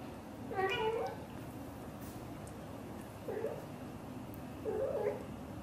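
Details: British Shorthair mother cat, blue golden, speaking to her kittens indoors: a bright rolling trill followed by two softer, shorter chirps about one and a half seconds apart, with quiet room background.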